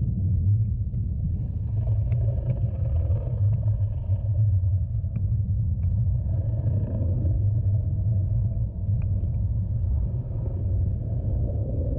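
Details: Steady deep boat-engine rumble throughout, with faint scattered knocks and no clear animal voice.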